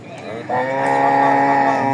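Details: Dairy cow bought by a Comilla farmer at Raniganj cattle market, Ghoraghat upazila; a steady, drawn-out harmonic moo holds level for about a second and a half over market noise.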